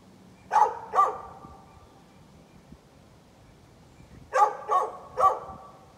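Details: On 13 November 2020 a neighbour's dog, said to bark at everything, gives two sharp barks. After a quiet stretch of about three seconds it follows with three more evenly spaced barks.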